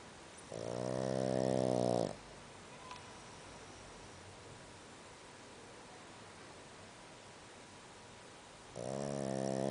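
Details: A sleeping Boston Terrier snores so loudly its owner can't sleep, a long rasping breath followed by a quiet pause before the next.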